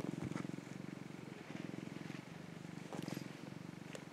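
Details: Affectionate orange tabby male rescue cat purring while sunbathing, then kicking: a low, fast, pulsing rumble broken by brief pauses, with small rustling and handling noises.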